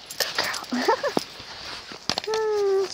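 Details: Female dog eating snow outdoors gives short rising whimpers, then a long, steady, high whine; a person praises her with soft talk and there are scattered crunching sounds.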